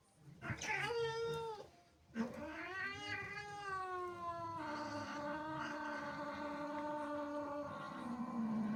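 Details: Female cat indoors, jealous of playful kittens in her house: a brief high wail, a short pause, then one sustained, slightly wavering caterwaul lasting over six seconds without a break.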